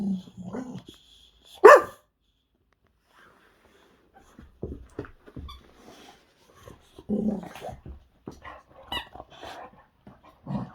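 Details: Boxer dog Zeta, full of energy in a mad bout of play with a squeaky toy, gives short low growly barks and grunts in several bursts, with one sharp squeak early on and snuffling breaths between.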